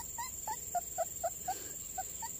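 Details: Short squeaky yelps from young puppies, one of four in a litter found in a garden next to a house while the mother was off foraging; quick uneven cries in a brief burst, with a constant high electronic tone underneath.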